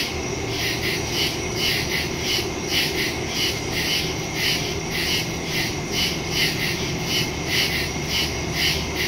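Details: Crickets at night in a forest, recorded September 2, 2023 on a phone fitted with a Shure MV88+ stereo microphone: bright, regularly pulsed high chirping, about two pulses a second, over a steady shrill background chorus.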